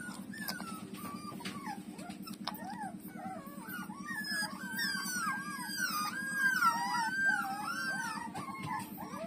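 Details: Puppies, among them Lulu, nursing from their mother while several pups give high whimpering whines, arched and wavering, overlapping densely and growing busier toward the end, over a steady low buzzing hum.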